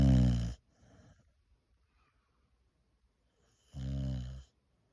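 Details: A sleeping female Boxer dog gives two heavy, low, rattling snores, each about half a second, a few seconds apart, with soft breathing between in a quiet small indoor room.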